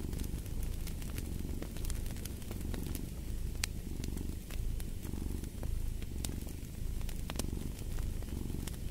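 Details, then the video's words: Domestic cat purring in a steady low rumble that swells and eases in breaths of about a second, mixed with a crackling fireplace whose sharp pops and snaps scatter throughout. "Fall asleep to the Purring of a Cat"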